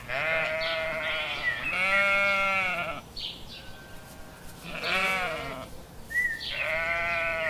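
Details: Sheep bleating in a compilation of cute sheep: long wavering harmonic bleats, several overlapping, with a higher short squeaky call near the end and quieter bleats between.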